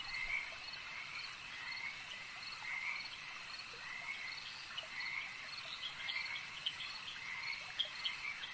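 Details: Lakeside frogs form an unbroken wall of high, buzzy trilling; individual croaks and clicks stand out now and then, growing a little busier toward the end.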